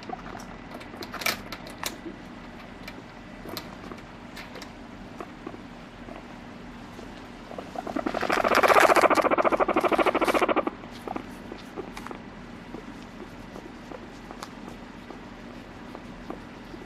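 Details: Domestic guinea pig, no background music: after quiet tapping and rustles, a loud run of fast pulsed squeals lasts about two and a half seconds, then fades back to scattered clicks.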